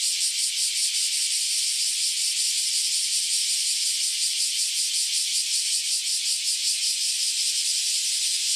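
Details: Cicadas singing in chorus right after emerging from around ten years underground: a loud, sustained, shrill buzzing with a rapid regular pulsation, level and unchanging, nothing else audible.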